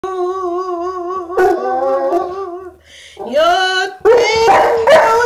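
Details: Saint Bernard named Jehu singing along: long wavering howls with a vibrato, a break, then a bark-like yelp and rising, strained howls that end loud and rough.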